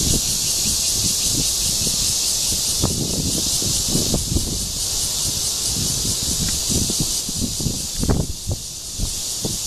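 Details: Cicada Cryptotympana holsti calling for a mate at Guangming Park, Zhongli, Taiwan, 28 June 2013. A high, steady sizzling drone continues throughout, mixed with frequent low thuds, taps and rustling.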